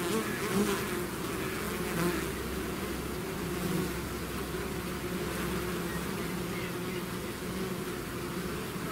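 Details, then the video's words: Swarm of bees pouring from a hive: loud constant buzzing with individual insects' higher whines sliding past near the start, the mass drone holding steady throughout. "bees therapy swarm natural buzzing sound"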